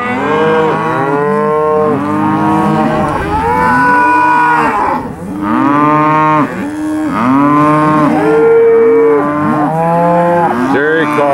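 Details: Cattle, steers at a cattle auction sale on 8 August 2013, evening; many overlapping drawn-out moos and bawls, rising then falling, crowding together in near-continuous waves with short dips in loudness, several animals calling at once.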